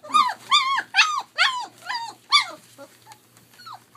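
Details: Three-week-old German Shepherd Dog puppies playing at a small kennel on rural land in Mayo, Florida. Loud, harmonic, down-curving yelps come about twice a second, six strong in a row, then trail off into faint whimpers.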